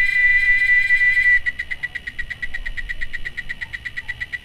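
A cicada sings a steady high buzz that breaks into rapid pulsing.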